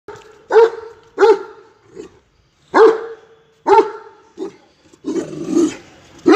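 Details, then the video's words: Great Dane barking: deep, booming single barks spaced about a second apart, five strong ones with a few softer huffs, ending in a rougher, growly burst. "great dane barking"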